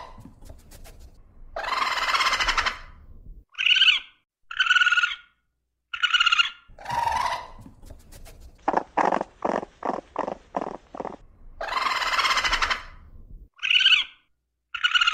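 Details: Raccoon sounds: a long breathy rasp, then several thin high squeals and a lower moan, followed by a rapid burst of about eight staccato chitters and another rasp.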